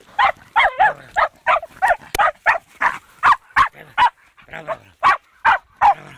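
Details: Fox terrier meeting a wild boar for the first time, barking hard: sharp, harsh barks fired in a rapid run of about two or three per second, with some rasping, doubled notes early on and brief quiet gaps between bursts.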